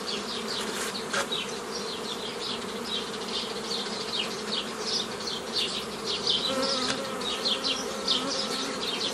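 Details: Honey bees while nucleus colonies are formed the old way from a previously made forager swarm, 15 May 2018: a steady low hum under busy, repeated high descending chirps, with a faint whistled tone near the end.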